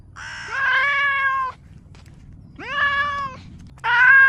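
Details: Domestic cat giving three meows. The first two are drawn-out, each starting with a sharp upward sweep and then holding steady. A third, abrupt meow begins at the end. Quiet room background.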